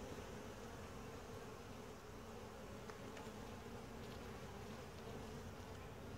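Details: Dense, unbroken droning hum of a quiet honey bee colony during a routine hive inspection, with only faint scattered ticks from the beekeeper's careful movements.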